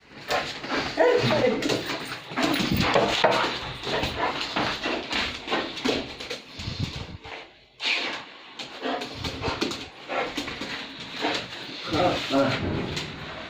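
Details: Pit Bull dog indoors, giving rapid, irregular bursts of excited barking and whimpering, several per second, while people talk and call to it in Arabic nearby.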